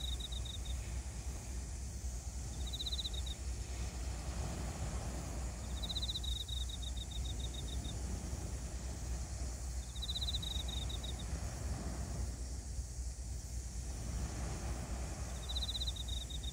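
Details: A cricket gives short, high, pulsed chirps every few seconds over a steady low rumble of surf, on a beach in Mihama, Fukui, at 19:30 dusk on July 29.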